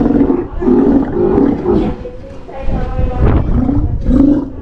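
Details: Adult male Steller sea lion, a father in captivity at an aquarium in Ise, with worsening eyesight, no longer in shows but healthy and energetic; deep, throaty growling roars in several bursts, with faint background voices.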